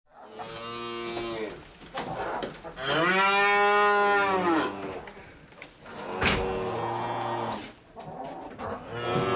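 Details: Cattle from a herd lowing, real recording: several long harmonic moos with rising then falling pitch, overlapping at times, the loudest mid-clip, with a sharp click near six seconds.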